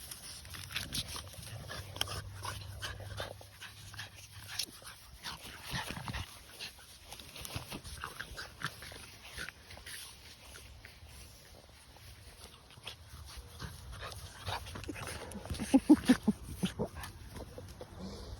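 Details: French Bulldog playing indoors, giving soft, quick whimpers and yips amid rustling and handling noise, with a short burst of louder high squeaks near the end.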